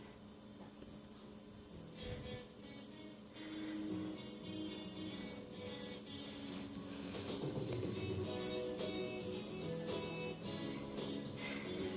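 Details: Steady instrumental music fills the whole stretch, with no animal sound audible.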